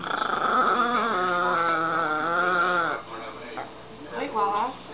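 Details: An old female dog gives a long, wavering, whirring whine with harmonics that sounds like a remote-control car's motor revving, over human speech.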